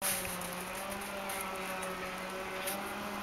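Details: A steady indoor hum with a faint hiss runs throughout, like a fan or appliance, and no animal sound is heard.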